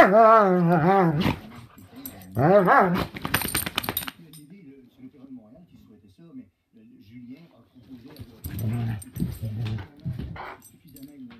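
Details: Pair of dogs at play, giving wavering, warbling growl-whines in two short bouts at the start. Scuffling follows, then a person talks in French over low background sound, with more dog noises near the end.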